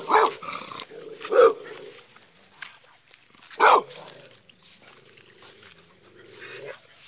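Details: American Staffordshire Terrier barking, a few short sharp barks spaced irregularly with quiet gaps between them.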